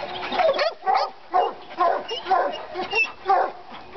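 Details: Treeing Walker Coonhounds Lady and Cooper, riled by a coon skin in North Carolina, bark in short ringing bawls, about two a second, steady and insistent.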